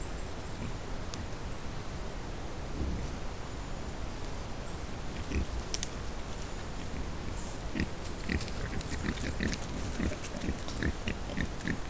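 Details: Wild boar on a trail camera give low, rough grunts and snorts amid rustling and occasional sharp clicks.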